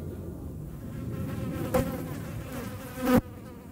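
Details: Hornet in pursuit of flies, giving a rough, buzzing hum that grows louder, with two sudden sharp bursts as it darts close, the second the loudest.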